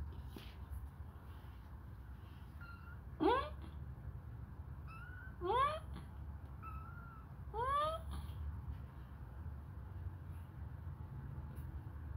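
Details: Hungry baby kittens, suckling a finger, call in loud rising cries roughly every two seconds, three upward-sweeping wails alternating with softer, level mews over a quiet background.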